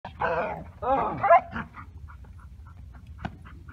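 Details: During protection training, a Bull Terrier gives two rough, throaty, drawn-out barks in quick succession, slightly growling, followed by a few faint, short, clipped sounds and a single sharp knock.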